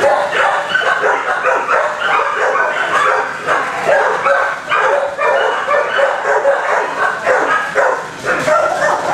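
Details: Many dogs barking in kennels, a dense overlapping chorus of harsh mid-pitched barks and yelps with no pause, echoing in an enclosed space.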